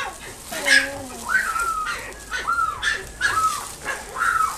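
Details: Chihuahua x Dachshund (Chiweenie) puppy in a pet shop in Nagoya, Japan, giving high, repeated whining yelps, each a short arched tone roughly every half second, with a low speaking voice at the start.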